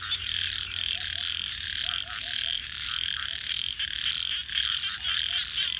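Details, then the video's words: Night frog chorus by a campfire, with short low croaks coming in quick little runs of two to four over a constant high trilling wash, while the fire crackles and pops. "Crackling Fire 🔥 and frogs 🐸 Sounds"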